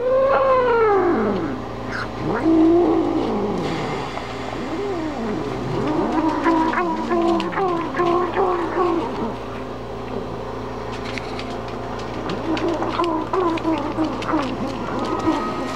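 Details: Mother cat warning dogs to stay away while she eats, giving a long run of wavering, moaning yowls and growls with rising and falling pitch that go on almost without pause, plus small knocks in the background.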